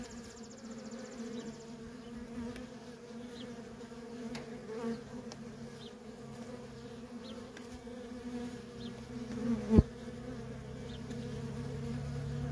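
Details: Worker honey bees in nonstop traffic at a feral colony, a steady low droning buzz with harmonic bands, individual bees passing close now and then, and a brief sharp knock near the tenth second.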